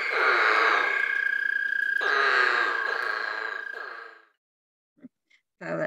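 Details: American toads calling in Tennessee: long, steady musical trills from overlapping callers, sustained for about four seconds, followed by a few brief unrelated sounds.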